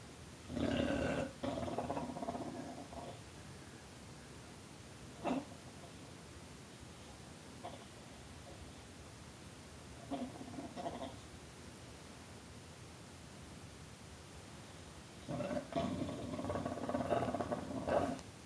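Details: Tulip the bulldog growling and snarling in warbling, gobble-like bursts, a long rumbling stretch at the start and another near the end with short grunts between, while a person coaxes her on indoors.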